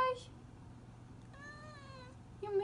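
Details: Male cat crying because he misses his dad. A brief cry opens, then a long, steady, slightly falling meow in the middle, and another short cry at the end, all over a constant low hum.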